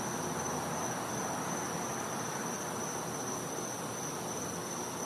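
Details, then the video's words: Night-time winter recording from a back yard in Florida: a cicada's steady high whine runs the whole stretch without a break beneath diffuse hiss. "Cicada Sounds | Florida | Night"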